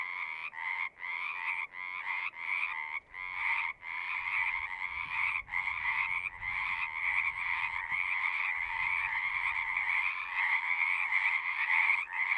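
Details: Frog chorus from a pasture pond, recorded with a Zoom: short trills separated by brief gaps at first, merging into a continuous rising chorus over the last several seconds.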